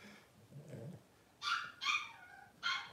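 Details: Blenheim Cavalier King Charles Spaniel puppies, twelve days old from a litter of five, give a soft low grunt followed by three sharp high squealing whines in close series.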